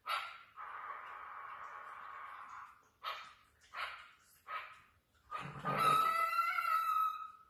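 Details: Chihuahua puppies indoors: a long high, steady whine of about three seconds, then three short sharp yips a second apart, ending in a loud, shrill, rising squeal.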